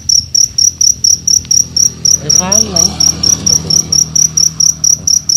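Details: Cricket chirping at night in Indonesia as hunters search with battery lamps. Bright, piercing pulses repeat regularly about twice per second over a low rumbling hum, and a man's voice is heard midway.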